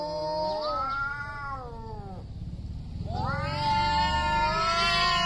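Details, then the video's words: Big male cats before a territory fight, giving drawn-out yowls: a long wavering wail fades out, a brief lull of low rumbling noise follows, then a louder, rising howl begins. "LOUD MEOWING JUST BEFORE THE FIGHT."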